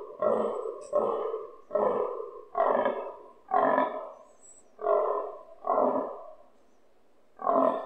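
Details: Fallow stag grunting nearby during the rut, recorded from a balcony, loud enough to vibrate windows: a series of eight deep, hoarse, belching grunts at about one per second, with a short pause before the last.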